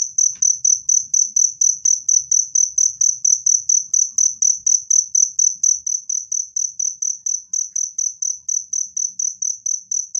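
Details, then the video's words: Cricket sound offered as a natural rat repellent and therapy for stressed birds, heard as bright, high-pitched chirps repeated evenly about twice per second, loud and clean over near silence. "SUARA JANGKRIK PENGUSIR TIKUS jernih dan keras"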